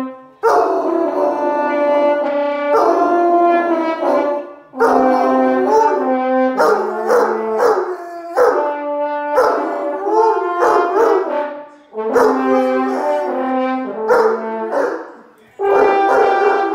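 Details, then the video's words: Finn, an Irish Wolfhound, sings along to the Christmas carol Silent Night played on French horn: wavering, sliding howls ride over steady sustained horn notes, phrase by phrase with short pauses between, the horn melody carrying throughout. "Irish wolfhound sings along to Silent Night"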